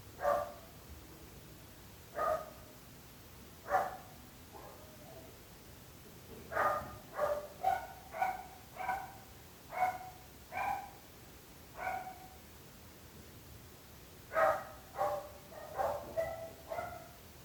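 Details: Neighbourhood dogs barking persistently: sharp harmonic barks, spaced at first, then bursting into rapid runs of four to six barks around the middle and end, with a low steady hum behind.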